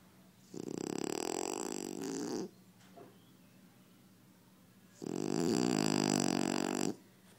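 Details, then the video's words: Two long, loud rattling snores from a French Bulldog, each about two seconds, harsh and buzzy with a throaty vibration, separated by a quiet pause with a faint short breath between. "French bulldogs snore!!"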